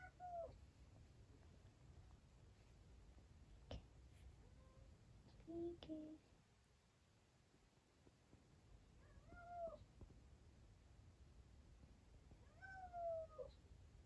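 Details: Sleepy rescued kitten indoors giving about five thin, short meows, most falling in pitch. They come at irregular gaps across fourteen seconds, over soft room hum and a few clicks.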